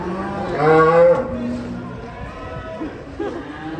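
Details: Cattle jumping down from a truck in Indonesia: one loud, drawn-out moo lasting about half a second with rich harmonics, followed by lower rumbling murmurs, amid crowd chatter and background noise.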